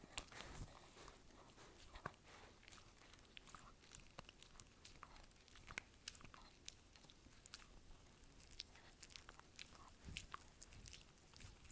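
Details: ASMR recording of a dog chewing: a steady run of soft, quiet crunches and bites, with sharper cracking snaps every second or two over a low background hush.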